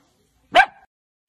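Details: A single abrupt, loud bark from a pet dachshund, or sausage dog, sharp at onset and trailing into a brief nasal tail, then silence with a faint low thump at the end.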